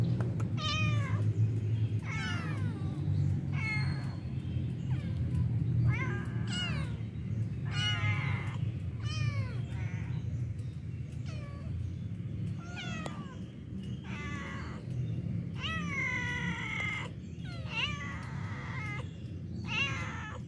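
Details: Stray street cats that got up at once and asked for food when approached; many repeated harmonic meows, rising and falling, several overlapping and coming every second or so, over steady low rumbling background noise.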